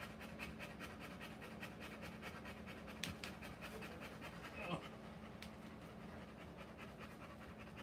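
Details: Labouring Rottweiler mother delivering puppies, breathing in quick, even pants throughout, broken by a couple of sharp clicks or knocks midway, over a low steady hum.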